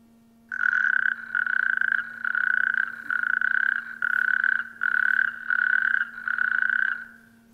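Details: At a pond in spring, a male natterjack toad gives loud, rattling trills in repeated bursts to attract females, outshouting rival males; the call carries about a mile.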